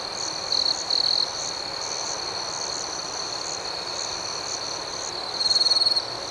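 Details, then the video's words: Crickets chirping in the night. A close cricket gives two quick pulsed chirp bursts near the start and a longer, louder rapid trill near the end, over a steady high, pulsing background chorus. "Soothing Cricket Sounds"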